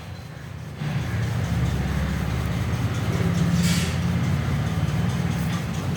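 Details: A steady low engine rumble like an idling vehicle, with faint music and a brief hiss midway, and no animal calls.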